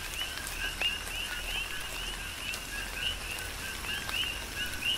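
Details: Big Island, Hawaii, in tropical rain: coqui frogs repeat clear two-note calls, a lower note then a sharp rising chirp, several overlapping callers, with rain noise and occasional louder drips.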